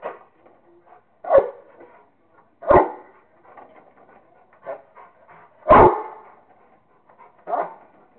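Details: Rottweiler playing with a squirrel, giving five loud, short, gruff barks at uneven intervals of one to two seconds, with softer huffs and snuffles in between.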